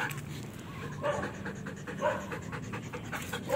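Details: Belgian Malinois in training, breathing in rapid soft panting pulses, with a few brief tonal squeaks mixed in and quiet human voice nearby.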